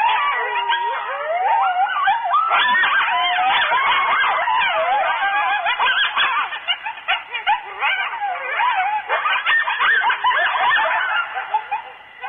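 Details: Night chorus of coyotes close to the mic at Starr Ranch, around 2:30 am in July 2013: frantic, tangled yips and quavering howls rise and fall continuously, growing choppier toward the end.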